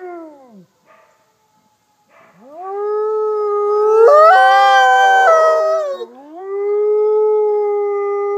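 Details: At the Wolf Conservation Center in South Salem, NY, captive Mexican gray wolf F810 leads a mixed wolf chorus: a falling howl fades out, then after silence a new howl rises steeply, other voices join and shift pitch, and a long level tone closes.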